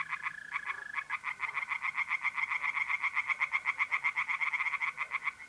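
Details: Pond chorus of tree frogs on an April night in north-east Italy, with rapid rhythmic pulsed calls overlapping almost continuously; a mole cricket's sustained high trill shows through at the start.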